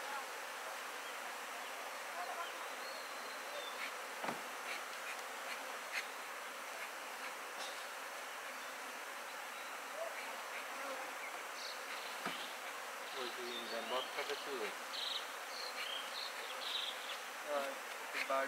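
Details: Honey bees at a commercial bee farm for honey cultivation, a steady diffuse insect hum throughout with scattered brief clicks and a faint voice near the end.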